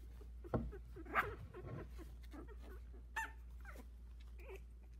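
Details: Havanese puppies, a litter of four at 16 days old, some with eyes barely open, walking and trying to climb out of the whelping box; soft squeaky whimpers and short rising yelps scattered irregularly, with a low steady hum underneath.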